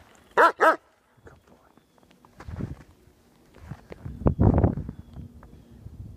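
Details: Dexter, a three-year-old German Shepherd playing fetch in the snow, gives two short, loud, harmonic barks in quick succession, followed by quieter crunching and rustling as he moves through snow.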